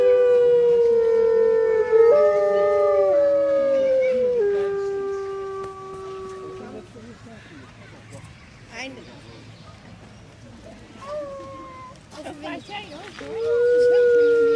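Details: A pack of grey wolves at Artis Zoo, Amsterdam, on 10 November 2013, howl together in long, smooth tones that slide gently downward and overlap.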